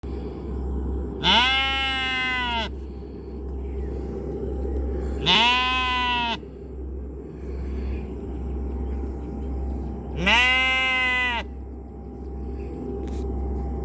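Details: Sheep bleating three times, each a loud harmonic-rich wavering bleat about a second long, spaced roughly four seconds apart, over a steady low hum and faint background noise.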